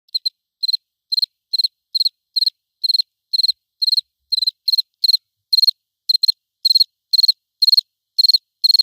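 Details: Cricket chirping without background ambience: clean, high, pulsed chirps in short trilled bursts, repeated about twice a second with slightly uneven spacing, no other sounds.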